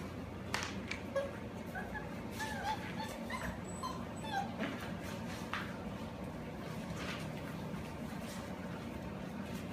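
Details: Goldendoodle puppies, five and a half weeks old, playing; soft high whimpers and short yips come scattered through the clip over a low indoor rumble, with scuffling and knocking noises.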